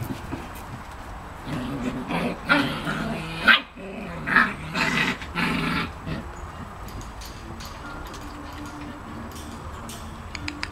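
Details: Puppies nearly seven weeks old, August 2015: a run of rough little barks and growling bursts from about the second to the sixth second, overlapping and uneven, then a quieter stretch with faint background noise.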